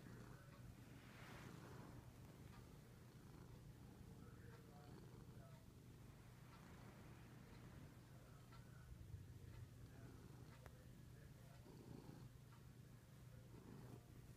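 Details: Binks, a male pet cat, purring passionately after his owner returned from a week-long trip; he always purrs like this. A steady low rumble continues throughout, with faint rustling indoors.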